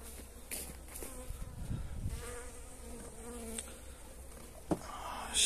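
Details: Honey bees at feeding time with energy cakes, 29 January, pleasant weather: a soft, wavering wingbeat buzz with some louder passes, broken by sharp handling clicks and a brief rustle toward the end.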